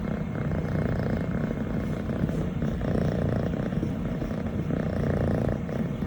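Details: Longhaired Scottish Fold kitten, female, 25 weeks old, brown tabby and white, enjoying being petted and purring; the low, buzzy rumble pulses rapidly and stays level the whole time, very close and loud.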